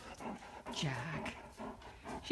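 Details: Ellie, a female Great Dane puppy, play-bows in the morning and makes drawn-out, talkative whines and grumbles, trying to get Jack the cat to play.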